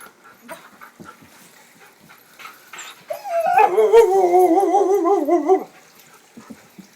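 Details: Dog wooing, raring to go: a single wavering, warbling woo held for about two and a half seconds, with soft human speech before and after.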